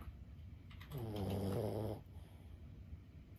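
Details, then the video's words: Sleeping senior Boston Terrier Lulu, aged 15, gives a single deep, rattling snore lasting about a second in a quiet room. "シニア犬15歳 作業のお供に最高のBGMはいかがですか？ブヒブヒ【Boston Terrier Lulu】"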